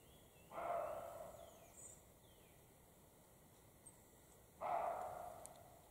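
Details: European roe deer, a male and a female, in the Carpathian mountains during the spring mating period give two harsh, hoarse barks about four seconds apart, heard as an exchange between the pair.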